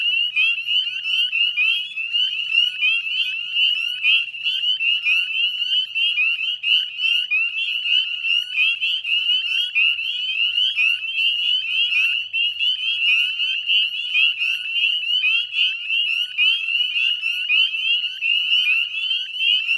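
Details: Northern spring peepers calling en masse at dusk, 18 May 2020, beside the Chezzetcook salt marsh wetlands in Nova Scotia, Canada; sharp upslurred whistles pile up into an unbroken, piercing wall of sound.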